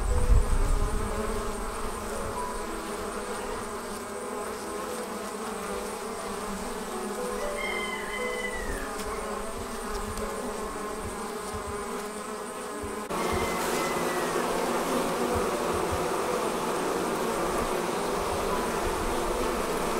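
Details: Departing honey bees fill the air with a continuous massed buzz as the swarm forms. A few brief whistled bird chirps come through midway, and the hum grows fuller after a sudden shift partway through.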